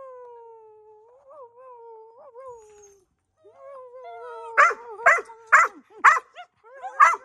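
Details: Dogs howling: a long, steady, slightly falling tone with small wavering bumps for about three seconds, then a sharper, rising howl that breaks into a rhythmic series of loud barks and yips roughly twice a second.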